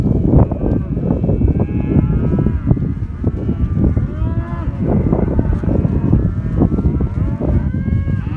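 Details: A herd of black Angus cattle, 40 heifers and 110 cows, in southern Córdoba, mooing continuously. Several overlapping drawn-out moos rise and fall as tonal calls over a steady low rumble.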